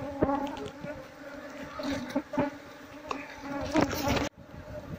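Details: Long-untended Apis cerana colony in a traditional Seluma house being taken out for beekeeping: continuous droning buzz with scattered clicks and scraping from handling the comb, ending abruptly.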